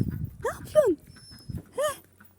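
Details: Dog in the countryside greeting a visitor it seems to recognise: three high whines that sweep up and then down, each under half a second, with a man speaking Turkish before and between them.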